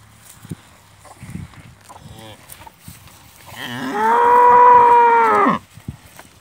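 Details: Farm cow with her calf suckling milk from its mother, the cow having eaten its fodder well. Soft thuds and rustling, then one strong sustained moo of about two seconds, held level and ending abruptly.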